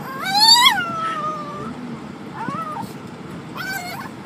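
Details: Dog giving a strange noise: a loud rising whine that slides down into a long drawn tone, then two shorter wavering whines, over faint low background rumble.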